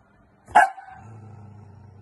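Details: A Pomapoo dog described as very bossy, being told off for biting, gives a single sharp, high bark followed by a low steady hum in the room.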